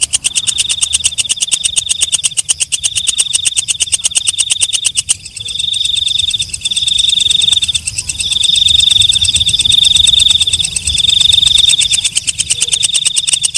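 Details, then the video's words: Katydid called walang kecek or belalang malam giving rapid, sharp ticks over a high buzz for five seconds, followed by a series of loud, shrill buzzing trills, each lasting one to two seconds with brief pauses. "Suara Walang Kecek/ Belalang Malam"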